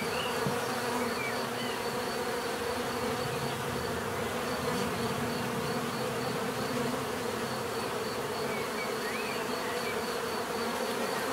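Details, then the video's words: Dense, continuous buzzing of many bees, a steady drone with bands around the low hundreds and a faint high whine, unbroken throughout with no other clear sounds. "bees therapy relaxing natural buzzing sound"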